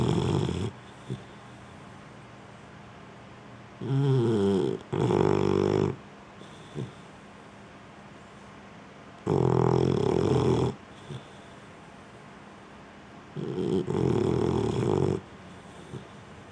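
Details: A female Boxer asleep on the couch indoors: repeated loud, rattling snores, some in quick double bursts, each a second or two long, with quiet pauses between.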